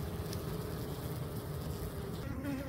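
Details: Low, continuous droning of native Korean honey bees at a hive where two queen cells, one holding an egg, were found during inspection before swarming; a faint steady whine rides over the hum.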